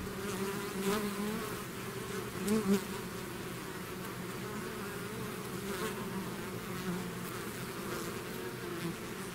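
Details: Swarm of bees out of its hive, a dense continuous buzz with a low pitched core and brief louder swells around the start and middle as individual bees zip past close by.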